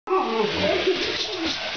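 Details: Alaskan Malamute playing with a remote-control Spider-Man toy, giving a short wavering, moaning woo that rises and falls for about a second and a half over a steady hiss of background noise, apparently indoors.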